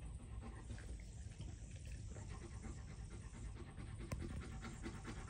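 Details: A Rottweiler pants heavily after playing, a steady rush of rapid, breathy low puffs.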